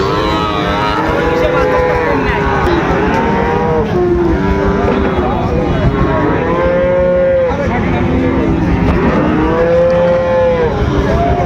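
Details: Moos from Sahiwal bull calves at the busy Raniganj market in Dinajpur, 8 August 2024: a string of long, arching bellows, some rising then falling, recurring every few seconds amid loud human voices and traffic noise.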